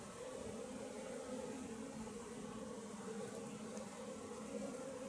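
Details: Western honey bees, Apis mellifera, from a wild colony nesting in a tree: a quieter, continuous droning buzz of massed wingbeats, even and unbroken throughout.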